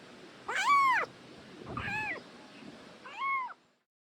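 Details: A tiny homeless kitten, found meowing all alone in rubble on the day of its rescue, gives three thin, high meows, each rising then falling, about a second apart, the middle one weaker; faint background hiss.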